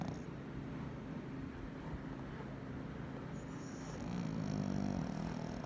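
A Pekingese snores with a low, rough rumble that swells louder toward the end.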